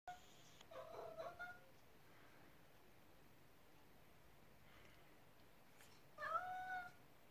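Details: Male Ragdoll cat meowing to ask for food, excited and hoping his meal will be prepared sooner; two drawn-out, rising-then-falling meows about five seconds apart in a quiet room.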